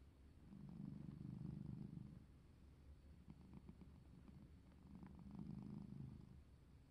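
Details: Domestic cat purring while playing, a low rumbling purr in long swelling phrases about two seconds each, separated by quieter breaths, steady and close.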